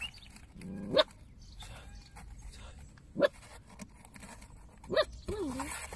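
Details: Stray puppy found in a roadside box, with two more puppies hiding in nearby bushes. It gives three short, sharp high yelps about two seconds apart, then a brief wavering whine, over quiet background hiss.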